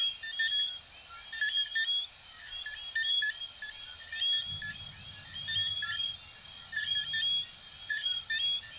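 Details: Many coquí frogs from Venezuela and Puerto Rico calling together, with short sweeping chirps and rising whistles tumbling over one another, a steady shrill background drone, and a brief low rumbling patch midway.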